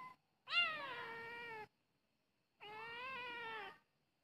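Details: Two long, loud meows from a charcoal cat, each about a second, the first opening high and sliding down, the second steady with a slight lift in the middle, separated by silence.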